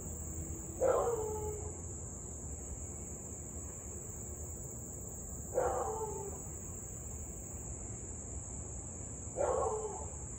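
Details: Siberian Husky barking and howling for nearly 30 minutes straight at 6:24 pm on 3 August 2021 in Louisville, a nuisance barking dog; three short, rough barks spaced about four seconds apart over a steady insect drone and low rumble.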